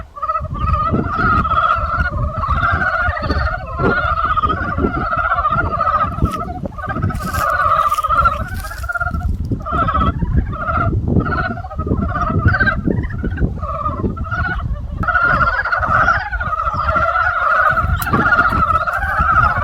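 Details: Spring chorus of many frogs, a constant throbbing mass of quick, trilled croaks that swells and dips slightly, over heavy low-pitched rumble and a few short crackles.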